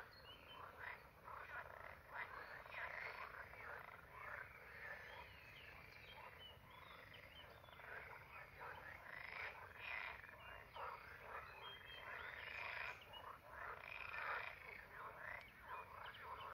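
Edible frogs croak together in a dense chorus of rattling, pulsed calls that overlap without pause.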